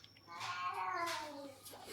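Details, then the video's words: Domestic cat at home after fighting or playing, seeking a massage: a long harmonic meow gliding steadily downward over about a second, overlapping a woman's soothing Marathi talk about its aching legs. "भांडण झालं किंवा खेळून झालं की बाबा आठवतो मसाज करायला!"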